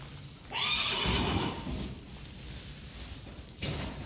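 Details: Friesian horse at a herd where the foals are tied up while their mothers are ridden and driven: a loud, harsh whinny lasting about a second, then quieter rustling and a short noisy burst near the end.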